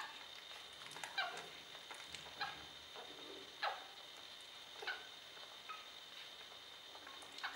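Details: Puppies from the Vecchia Amore litter of 2017, giving short, high squeaky whimpers and mews spaced about a second apart in a quiet indoor room, with a faint steady hum underneath.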